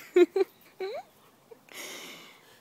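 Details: Frankie, an Alaskan malamute, plays with a sprinkler: two short harmonic yelps, then a longer rising whine. A hiss of spraying water follows.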